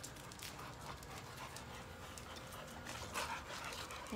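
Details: Pregnant female Boxer dog on day 7, week 1 of pregnancy, tiring easily after playing with other dogs; soft, breathy panting bursts roughly once a second, uneven in rhythm, over a low background rumble.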